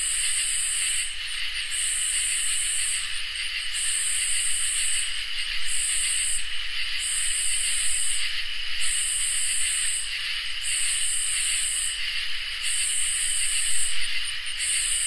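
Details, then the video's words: Crickets and katydids chorusing on a summer night: steady, high shimmering trills run underneath, while a louder, buzzy, very high pulsing call breaks in and out in bursts roughly once a second, with brief gaps between. No other sounds are clear. "Crickets and Katydids in Summer | Ambient Night Chorus"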